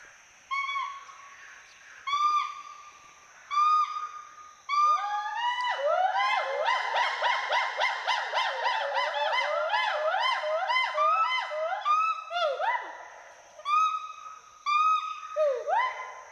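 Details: Pair of Western hoolock gibbons at Hollongapar Gibbon Sanctuary in Assam, climbing and playing among trees; spaced single hoots build into a dense duet of swooping rising-falling whoops, then thin back to separate hoots.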